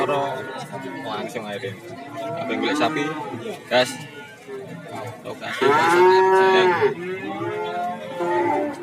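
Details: Cattle lowing at the Warujayeng cattle market, Nganjuk, Indonesia. A strong, drawn-out moo near six seconds rises and falls, with busy background voices and other cattle calling.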